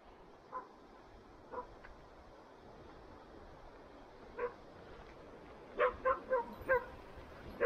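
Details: Standard Poodle, one of a family's pet poodles in Sun Valley, Idaho, barks a few times, sparse and faint at first, then a quick run of five short harmonic barks near the end, over quiet outdoor background.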